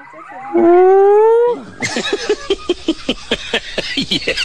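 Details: Monkey. A monkey calls with a strong tonal hoot that climbs a little in pitch for about a second. It then switches to a quick run of rough, barking chatter repeated several times a second.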